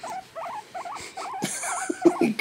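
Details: While being petted, a male house guinea pig gives four or five rippling, wavy squeaks in steady succession, followed by a loud rustle of handling.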